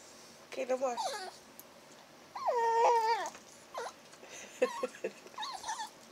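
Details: Chihuahua puppy indoors making whining, talking-like sounds while its ears are blown on to warm them; wavering whimpers and a longer drawn-out, warbling whine, with a woman speaking softly nearby.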